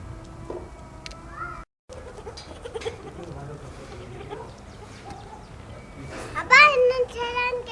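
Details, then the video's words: White baby goats drinking milk; after murmured human voices, a loud, quavering, harmonic bleat bursts out near the end and slides down into a lower, drawn-out tone. Background is otherwise quiet, with low hum. "Baby Goats drinking Milk 🥛 White Baby Goats - RELAXING SOUNDS"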